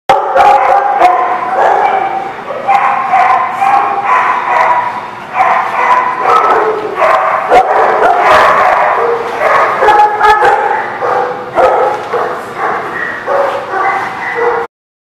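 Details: Dogs barking at a dog lot on 22 July 2019: a dense, continuous chorus of overlapping barks and yips from many dogs, loud throughout, stopping abruptly near the end.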